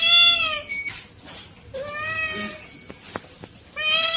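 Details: Domestic pet cats giving three clear meows: a strong, drawn-out falling call, a shorter, rising-then-falling meow after a pause, and a bright one at the close, with faint clicks and rustling between.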